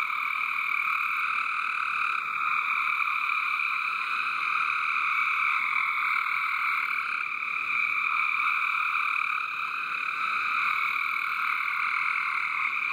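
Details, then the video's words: Frogs in a backyard water garden call in a loud, dense, steady chorus of overlapping trills that never pauses. "Frog Song in the water garden."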